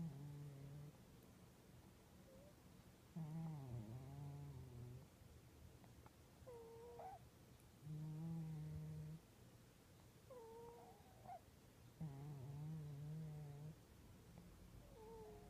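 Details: Domestic cat snoring: low, steady, droning hums lasting one to two seconds each, returning roughly every four seconds, with brief higher squeaky whistles trailing some breaths.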